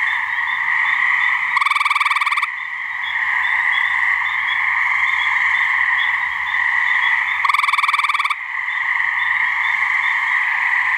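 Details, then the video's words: Two loud, rattling pulsed trills from a male gray treefrog's mating call come about six seconds apart, each under a second long. A steady trilling chorus from frogs in a New Hampshire swamp continues behind them. "Gray Treefrog mating call"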